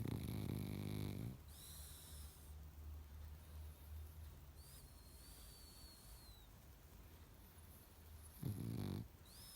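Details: Pug sleeping and snoring loudly: a harsh, rattling low snore opens the clip and returns near the end, separated by quiet breathing, with thin high whistling nasal squeaks in between.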